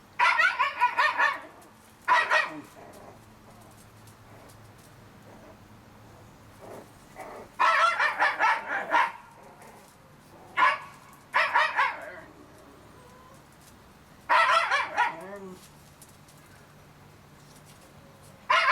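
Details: Litter of 30-day-old Shiba Inu puppies giving bursts of high, harmonic yelping squeals in clusters, some stuttering in quick runs, separated by quiet pauses of a few seconds, with faint low whining in the gaps.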